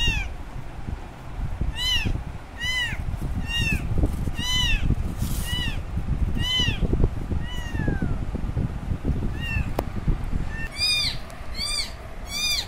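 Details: Lone kitten calling for its mother after she took off, shrill curved meows in irregular bursts, some quick pairs near the end, against a constant low-pitched background hum.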